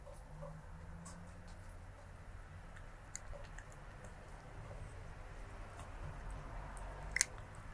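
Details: Stray kitten eating, filmed 23 January 2024 with a Sony stereo lavalier microphone: soft wet chewing and squishy mouth sounds with scattered light clicks, a sharper crunch near the end, over a steady low room hum.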